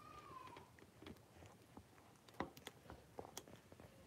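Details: Blenheim Cavalier King Charles Spaniel puppies, a litter of five born on New Year's, in a home puppy pen with their mother Paris on 26 January 2023. A single high whine slides downward, followed by soft rustling and knocks.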